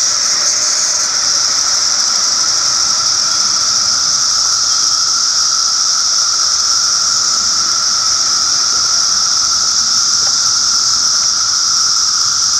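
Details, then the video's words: A long, unbroken cicada drone: intense high buzzing layered over a lower steady hum, slightly shifting in tone early on, then continuing evenly for over twelve seconds. "Cicadas (Cicadoidea), turn on the voice to max.!"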